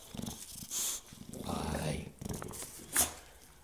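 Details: An English Bulldog attacks a vacuum cleaner, as it does every time one is taken out, giving gruff, low barks and growly grumbles, with a person talking in between.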